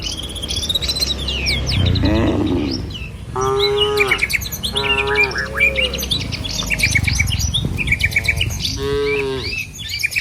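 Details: Herded cows moving along a village road bordered by green trees and paddy fields, heading to the pen. A run of short, sagging moos, four or five in clear succession, over a backdrop of bird twitter.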